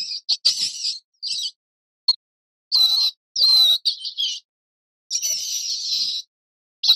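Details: High-pitched mouse squeaks in bursts of varied length, some sustained and wavering, others short and clipped, with gaps of silence between them and no other sounds.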